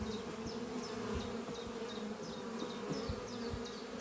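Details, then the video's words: Spring-morning flight of honey bees at hive Doppio, set under trees, workers returning with pollen; dense continuous low buzz throughout, overlaid by a small bird's high descending chirps repeated about every half second. "Relaxing sound of bees flying at beehive Doppio on a spring morning"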